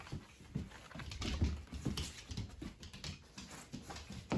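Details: Ranmaru, a pet Shiba Inu, greets family returning home in an excited fuss indoors; soft low whimpering and panting pulses recur roughly every half second, with pattering underneath in a small room.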